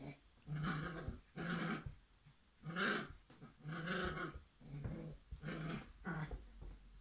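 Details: Playful Irish setter puppies growling in a string of rough, throaty bursts roughly every second, some rising into a higher snarling whine, in a small indoor room.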